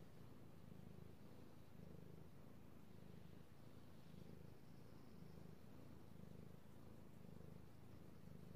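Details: Steady low purr from a male house cat enjoying being petted, recorded 3/16/18, rhythmic swells repeating a little more than once a second with a soft faint hiss in the background.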